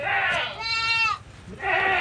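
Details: Goats taken out to graze in a field next to farmed land. A single wavering, nasal bleat of about half a second sits between a man's speech before and after it.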